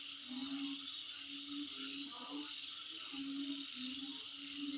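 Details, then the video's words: Insects at a home site produce an unbroken, finely pulsed high trill and steady droning chorus; faint low tonal calls recur every second or so behind them. "Sound Of Insect In My Place"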